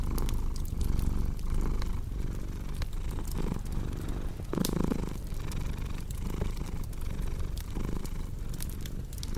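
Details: Low, buzzing cat purr rising and falling in slow rhythmic waves over a background of snapping fireplace crackles and soft popping.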